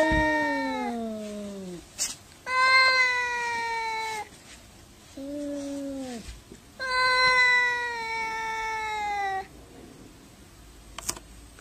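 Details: Angry domestic cat caterwauling during a fight, long harmonic wails that slide downward, one shorter, lower moan in between, with sharp knocks and quiet gaps between calls indoors.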